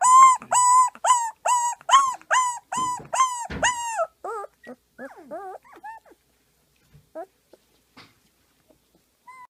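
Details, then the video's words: Siberian Husky vocalizing in a singing bout; a run of eight quick, evenly spaced arched yips, then softer wavering whines and squeaks trailing off into scattered faint calls. "【シベリアンハスキー】の めっちゃ可愛い動画集 2018 さあ、お歌をうたいましょう～！"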